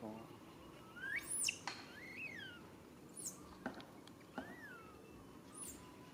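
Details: Baby monkey named Rain calling its mother Rany for help; thin arched and rising whistled cries, some sweeping very high, with sharp clicks and knocks between them over a low background rumble.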